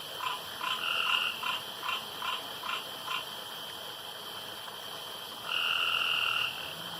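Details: Pond frogs at night give a run of short mid-pitched croaks about every half second, then a pause and one longer drawn-out grating trill lasting about a second, with a faint constant high hum behind.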